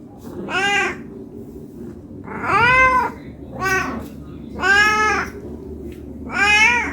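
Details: Meowing house cat, hungry and begging for food; five harmonic meows, some longer and arching, others short, at irregular gaps of one to two seconds over a faint indoor hum.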